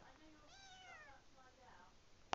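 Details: Young Tonkinese kittens huddled together indoors give a long arching harmonic meow followed by a softer shorter one, ending with a sharp knock.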